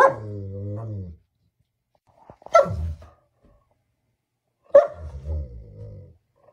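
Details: German Shepherd dog voicing a drawn-out, moaning harmonic tone for about a second, then two sharp barks about two seconds apart, each trailing into a wavering, whine-like tail; quiet background otherwise.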